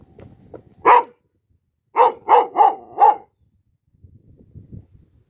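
A Pit Bull gives a single bark, then a quick run of four deep, loud barks.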